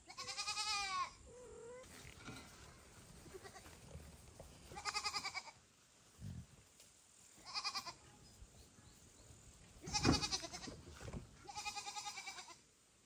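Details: Kittens calling loudly for their mother cat Kira, with foster kitten Ginny and kitten Leo nearby: four drawn-out, strongly harmonic cries about a second each, spaced irregularly, with soft household rustles and thumps between them.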